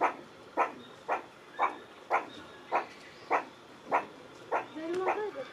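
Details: Meerkat producing a long run of about ten clipped, raspy barks roughly every half second, the series ending as a brief wavering tonal sound overlaps the last notes.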